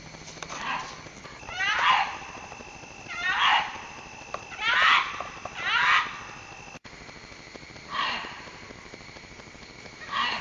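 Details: Fox calling in the mating season, when foxes call out to each other: short, harsh, raspy barks with a quick downward sweep, given in bursts roughly every one to two seconds over a steady background hiss.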